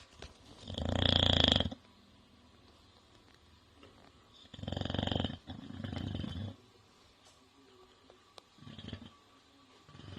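An English Bulldog snores in loud, rasping bursts separated by quiet pauses.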